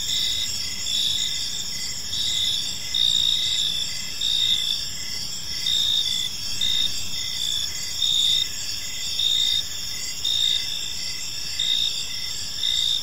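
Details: Gentle chirping of crickets in a serene park at evening: several high insect trills overlap, with a pulsing burst recurring about once a second above a quiet low hum.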